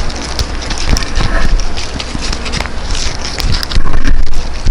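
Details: Welsh Corgi named Tangja from Daegu eating freeze-dried New Zealand food, close-miked: irregular sharp crunching and chewing clicks, several per second, over a steady low rumble, with louder crunches near the end.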